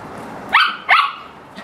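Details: Playtime barking from a Samoyed: a quick pair of bright, yappy barks, the second following half a second after the first, over a quiet room.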